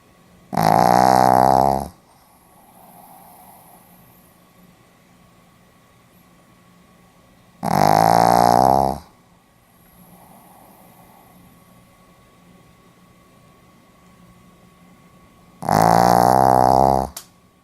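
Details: Snoring Pomeranian dog, asleep in a quiet room, recorded 4 November 2015 in Hiroshima: three rasping, buzzy snores each over a second long, spaced about seven to eight seconds apart, with soft breathing noise between.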